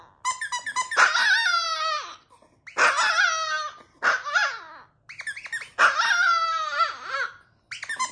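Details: Chihuahua singing a birthday howl: a series of five drawn-out, quavering high howls with strong harmonics, rising then falling, broken by brief gaps.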